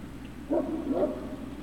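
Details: Great Dane puppies at Puppy Hill, recorded 3 June 2019 in the late afternoon: two short, soft yelping whimpers about half a second apart, with a steady low hum behind them.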